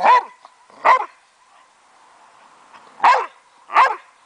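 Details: A 9-year-old Boxer gives loud, sharp single barks in two pairs, separated by a short pause, while playing in a backyard with his 12-year-old foster sister dog.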